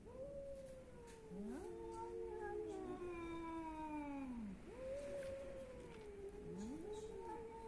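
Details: Meowing cats from Athens, Greece: several drawn-out, wavering meows overlap, falling in pitch at the end, with a fresh rising call after a brief pause and a steady low hum behind.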